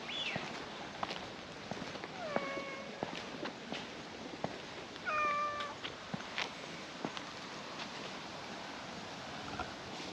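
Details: Stray domestic cats in a park, a cheerful milk-tea coloured cat and a black-masked newcomer: two separate meows about three seconds apart, the second brighter and slightly wavering, among scattered clicks and taps and outdoor background.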